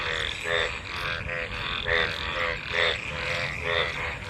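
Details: Frogs gathered in rainwater after monsoon rain, calling while mating: rasping, pulsed croaks rising and falling in loudness, repeated about once a second with overlapping neighbours.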